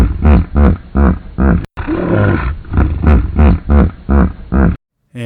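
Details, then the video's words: Common hippopotamus wheeze honk from one individual, a call showing each hippo's voice is individualized so group members are told from strangers; deep pulsed honks repeated about every half second, with a wheezy broadband stretch mid-sequence, looped playback. "Here's the second hippo's wheeze honk."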